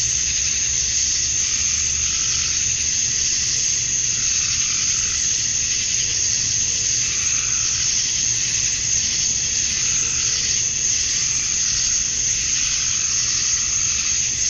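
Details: Evening chorus of male cicadas in Georgia, USA, on a summer night, calling for females. A loud, shrill, continuous buzz that gently throbs every few seconds, with a low hum beneath.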